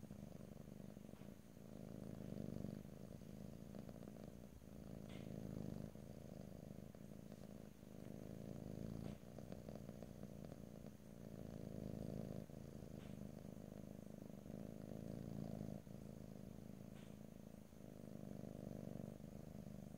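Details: Pet cat's purr, close and low, a rumbling vibration with dense rapid pulses that rises and falls in long breathing cycles roughly every two to three seconds, recorded ear to ear without speech.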